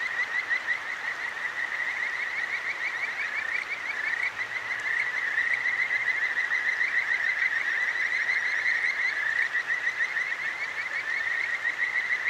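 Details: Night chorus of Kajika frogs at a clear stream in Tokyo's Akigawa Valley, captured with a ZOOM H6: a dense, continuous band of quick, repeated rising chirps that swells slightly louder midway, set against steady stream murmur.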